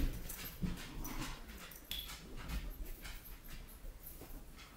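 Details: A Weimaraner–German Shorthaired Pointer puppy playing with a balloon gives soft whimpers and quick panting breaths amid scuffling thumps.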